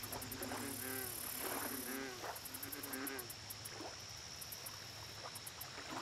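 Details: American bullfrog calling at a lake: three low, droning, harmonic croaks in quick succession, each about half a second long. Behind them runs a steady high insect whine with rapid ticking pulses, and scattered clicky calls from other frogs.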